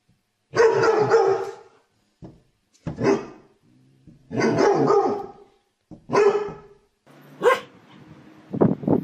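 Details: Harsh, raspy dog barks of up to a second each, repeated in irregular bursts with gaps, some short and clipped, others long and growly, with faint background noise in between.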